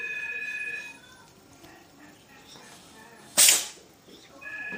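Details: Single sharp, hissing sneeze from a domestic cat midway through, a brief bright burst framed by a steady two-tone electronic beep at the start and again at the end.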